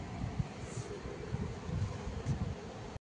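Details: Steady low mechanical hum like a fan or air conditioner, with faint rustling and no animal voice.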